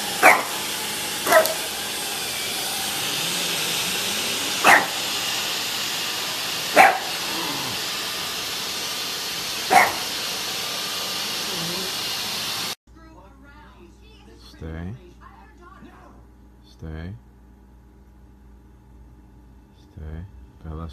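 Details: French Bulldog barking: short, sharp single barks every two to three seconds over a steady loud hiss, then the hiss cuts out and quieter, muffled barks and yips continue in a calm room.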